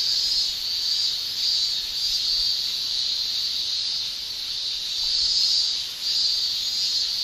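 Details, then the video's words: Japanese summer cicada chorus of singing males using tymbals: an unbroken piercing high buzz, rising and falling slightly in strength every second or so, with a brief dip in loudness near the end. "Japan Summer Cicada Shrilling"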